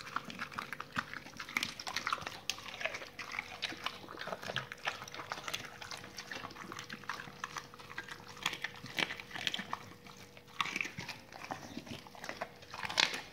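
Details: Raw-fed dogs chewing salmon bones and chicken carcasses: continuous moist crunching, slurping and licking with sharp bone cracks scattered throughout, a louder crack near the end, and a low steady hum in the background.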